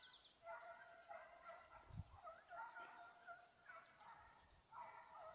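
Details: Petit Basset Griffon Vendéen baying while chasing a rabbit, 5 October 2014: drawn-out, harmonic, howling bays repeat in overlapping bursts about once a second, with a dull thump near the middle.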